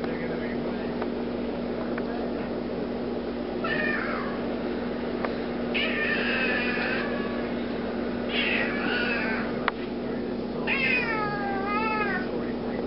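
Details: Big black house cat, 15 lbs, angry because he dislikes hands being used at him, gives drawn-out harmonic meows, some wavering and bending downward, in four separate bursts over steady low indoor hum.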